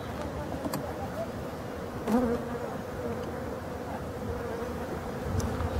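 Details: Wintering honey bees in Brittany, France, hive number 6, given their last feed of winter on 4 February 2021; an even, low humming drone with a short knock about two seconds in.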